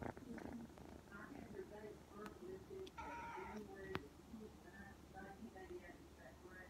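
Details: A blue point Ragdoll kitten purrs with a low, steady rumble while kneading, broken by a few short meows and nearby voices.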